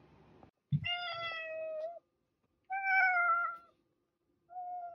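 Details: Domestic cat giving three meows: two long, slightly falling harmonic meows a second or so each, then a short third one starting, with a brief low thump before the first.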